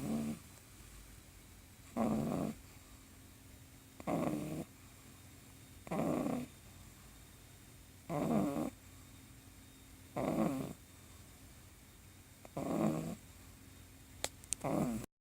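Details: Sleepy pug puppy sawing logs, steady snoring with a rasping inhale roughly every two seconds, seven breaths in a row, the rhythm slightly uneven, quiet between snores, a faint click near the end.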